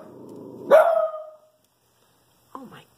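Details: A Shih Tzu barking at a squirrel: one sharp, loud bark with a short falling tail, followed by silence and faint soft sounds near the end.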